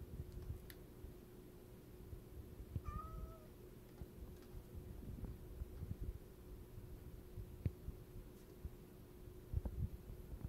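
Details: Cat giving one short, slightly wavering meow near the three-second mark, otherwise quiet apart from a steady low electrical hum and a few faint clicks and knocks indoors.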